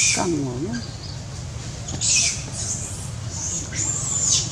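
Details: Hungry baby monkey Dodo, among other hungry babies, screaming to ask for a banana: thin, very high-pitched arching shrieks, two clear ones under a second each, over a constant loud background rumble and hiss.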